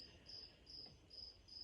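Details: A cricket in a greenhouse gives high, thin chirps, each a short trill repeated about every half second.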